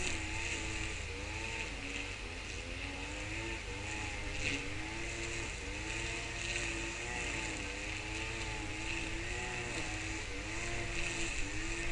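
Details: A steady engine drone with wavering, humming tones, like a motor vehicle running nearby, and no animal calls.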